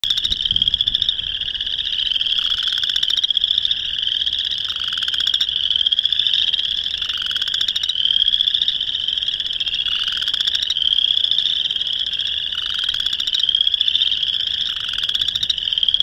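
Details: A chorus of boreal chorus frogs (Pseudacris maculata) in northern Illinois in March 2021 gives rising, creaky mating trills that overlap in a steady, unbroken din.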